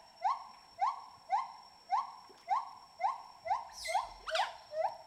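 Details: Wild smooth-coated otters, a playful bevy feeding on fish in a Bornean river, give clear upslurred squeaks roughly every half second, ten in a row, with a couple of sharp splashes or clicks near the end.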